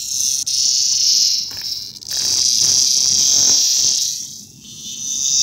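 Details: Lyric cicada (Neotibicen lyricen), found and afterwards released. An intense, hissing high buzz rises and falls in strength, dropping briefly twice before swelling again, with faint low rustling and handling noise beneath.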